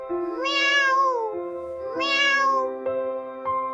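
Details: Domestic cat meowing insistently at dawn, growing louder when no response comes; two bright, drawn-out harmonic meows about a second and a half apart, each rising then falling, over soft sustained keyboard music.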